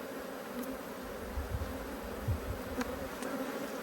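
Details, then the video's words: Honey bees irritated by the opening of their hive hum evenly over brood frames. Low rumbles from handling and a few faint clicks mix with the droning buzz. "When Bees Go Wild - Inspecting Two Angry Hives"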